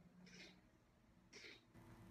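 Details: A congested kitten weighing a little under 200 grams, with an upper respiratory infection, makes two brief, breathy, hissy snorts before tube feeding, over a steady low indoor hum.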